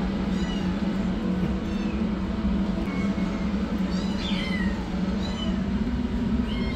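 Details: High-pitched mewing from rescued kittens, the yellow one running for food, the black one starting treatment; about eight brief meows, some bending downward, scattered through, with a steady low rumble underneath.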